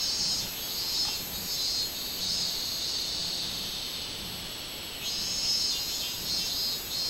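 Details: Robust cicada song recorded 24 July 2016: a steady high-pitched shrilling drone with gentle rises and falls in loudness, a stronger surge arriving toward the end.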